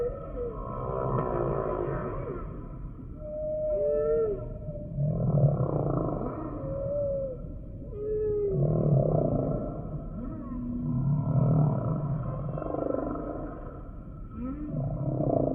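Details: Humpback whale song: a series of short rising and falling tonal whistles and upsweeps over deep, rumbling moans and pulsed groans, the units following each other every second or two against a steady low underwater hiss.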